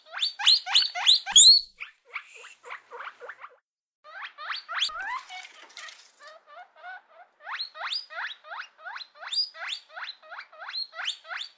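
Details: Guinea pigs squeaking in quick runs of sharp, upward-sweeping notes, about three or four per second, loud at the start, then softer, pausing briefly and building again into a steady stream of repeated squeals.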